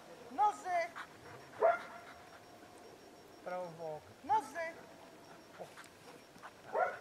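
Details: Hovawart in protection training, 26 January 2014, practising barking at the helper in the blind and obedience; separate loud, ringing barks every second or two, with a handler's spoken commands between them.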